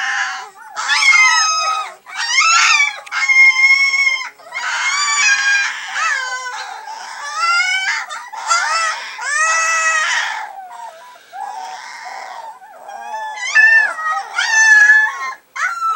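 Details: Three-week-old Alaskan Malamute puppies (Canis lupus familiaris), recorded 27 October 2014, whine and yelp in high, wavering squeals, one burst after another.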